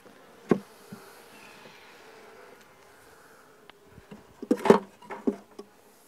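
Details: Nuc honey bees transferred into a new hive, worked with no veil, smoker or suit before rain arrives; a continuous low buzzing drone underlies loud wooden knocks and bumps of frames being lifted and moved.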